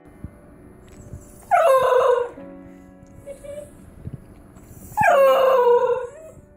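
A Basenji gives two drawn-out, yodelling cries that slide sharply down from a high start.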